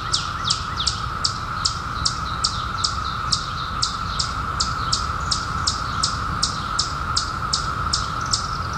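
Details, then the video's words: Steady buzzing chorus of periodical cicadas from the 2021 emergence that followed a 17-year hiding, one unbroken mid-pitched hum, with a bird's high falling chirps ticking over it roughly twice a second. "SOUND OF CICADAS 2021"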